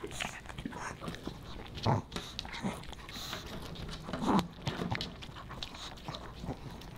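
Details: Pomeranian puppy Boba Bear eating fish and chips made dog-friendly; irregular chewing and lip smacks with two louder bites, a faint voice in the background indoors.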